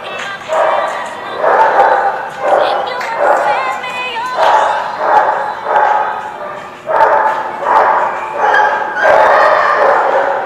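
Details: Dogs at The Barking Lot recorded on 14 April 2017 give loud, harsh barks in bursts roughly every second, some doubled, continuing steadily with little pause throughout.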